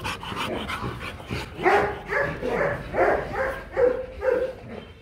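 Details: Male Rottweiler courting a female for mating, with the pair Marvin Gervi and Kacyno Gervi in Hanoi, Vietnam: a series of about six short, high, nasal whines repeated roughly every half second over low rustling.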